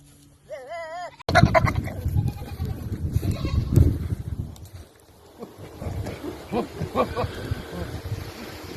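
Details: Hormonal goats, possibly young ones, make funny, weird noises: a high, quavering bleat followed by rougher, noisy calls amid rustling.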